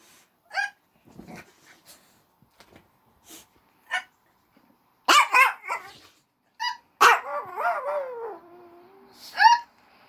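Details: Small dog named Maryjane howling in response to a person's hiccups: short sharp clicks and hiccup sounds, then a few yips and a drawn-out, wavering howl that slides downward and tails off.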